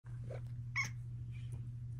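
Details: Luxe, a female pet cat, purring steadily at home while a person chats with her; a low, continuous rumble runs throughout, broken once by a short, bright chirp.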